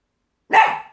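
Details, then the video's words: A female Chihuahua barking at nothing, then falling off a table: a single sharp, short bark of about half a second, rough and bright, with silence before it. "Barking (At Nothing) Herself Off the Table"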